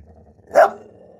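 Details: A single sharp, loud bark from Tess, a female English bull terrier protective of her home territory, standing guard and reacting to outside noise, over a low indoor background.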